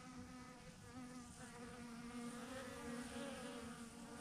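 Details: Steady buzz of thousands of honey bees massed on a branch in a hanging clump; the low hum slides slightly in pitch as bees move nearby.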